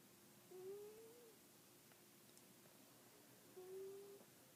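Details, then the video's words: Domestic cat snoring indoors, two soft nasal breaths about three seconds apart, each a faint slightly rising hum, in a quiet small room. "Kitty snores"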